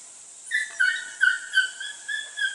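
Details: Border Collie pups, six to eight weeks old, working goats for the first time: thin, high, harmonic whining yips, about six short cries over two seconds, each gliding slightly downward, over a steady background hiss.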